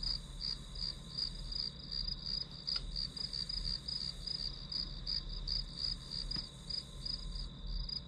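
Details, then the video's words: Grass insects heard as study background sound: shrill pulsed chirps, close to three per second, laid over a continuous high-pitched drone, with faint low rumble beneath. "풀벌레 소리"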